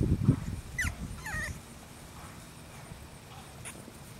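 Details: English Bulldog puppies in a backyard make a couple of low snuffling grunts, then short, high whimpers that bend up and down in pitch, with faint outdoor background noise.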